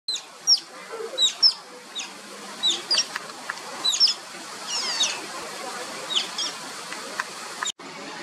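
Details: Asian small-clawed otter pups at play, giving sharp high chirping whistles, each a quick downward sweep, in irregular bursts of one to three over eight seconds, with a hiss of background noise.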